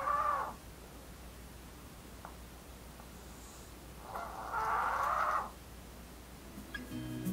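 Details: Snoring from Blue, a female Maltese dog born in August 2018, daughter of Jamong and Fanta: a short raspy breath at the start, then a longer, louder hoarse snore around four seconds later, followed by faint rustling at the end.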